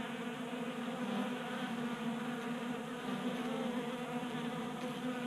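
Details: Several honey bees buzz while feeding at a 3D printed feeder indoors in a Colorado garage on a warm January day, burning winter fat stores. An even, rich, low hum sounds throughout without pause.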